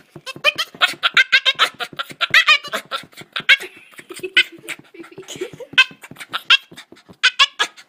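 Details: Bruce, a Boston terrier, makes strange playful noises while wanting to play with the ball: a rapid run of short, harmonic yelps and grumbles, roughly one a second or faster, with a few lower moans in between, indoors.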